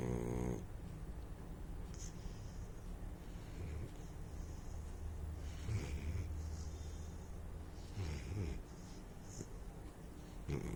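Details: Saint Bernard puppy asleep and snoring, a low, steady, rumbling breathing noise with soft snorting rasps, constant throughout without pauses.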